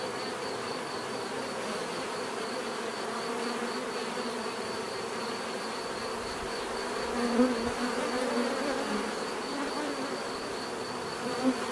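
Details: Many bees buzzing in a natural setting, a dense continuous hum with wingbeat bands around the low-mid range, a couple of louder passes near seven and eleven seconds, and a faint steady high whine throughout.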